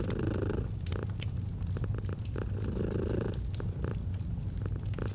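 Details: Gentle purring of a pet domestic cat beside a fireplace: a continuous deep vibrating rumble with broader breath surges near the start and around three seconds, and scattered crackling clicks from the fire.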